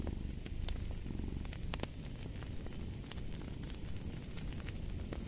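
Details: Soft rumbling purr from a cat, a continuous low vibration with a regular pulse, accompanied by bright popping and crackling from a fireplace.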